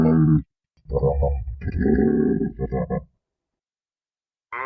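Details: Giraffe (Giraffa camelopardalis), grunt.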